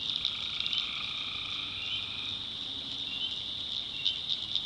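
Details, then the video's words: Night in a North Carolina swamp with tree frogs: one long, steady two-toned call lasts about two seconds over a constant shrill chorus, with faint clicking pulses near the end. "Relaxing Swamp Sounds at Night - Frog Heaven - Frogs"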